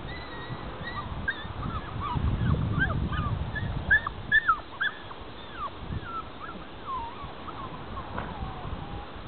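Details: Grand Basset Griffon Vendéen puppies, 7.5 weeks old, running in the paddocks: a busy stream of short, high, squeaky yips and whimpers, rising and falling, overlapping rapidly, with low rustling and thumps of movement.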